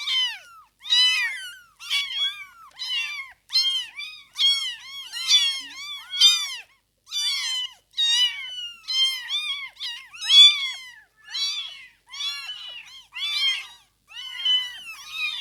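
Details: A chorus of newborn kittens, aged from birth to fifteen days, meows almost nonstop: thin, high, wavering cries overlapping in rapid succession for fifteen seconds, with no other sounds.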